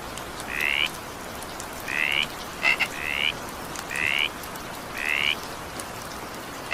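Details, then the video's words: Evening rain with a calling frog: six short rising buzzy notes spaced about a second apart, broken by a sharp double click, with soft rain hiss throughout. "20 minutes evening rain sound effect with frog sound."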